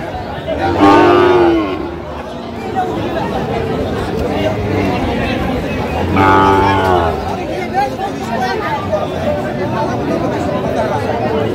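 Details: Sahiwal bull calves at a busy cattle market in Naogaon on 24 June 2025: two drawn-out, harmonic moos about five seconds apart, the first near the start, against steady crowd chatter and voices.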